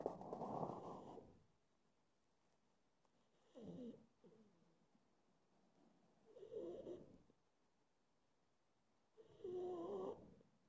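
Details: A pug drifting toward sleep breathes in slow, rasping snores. Four throaty bursts are spaced roughly three seconds apart, with quiet gaps between them.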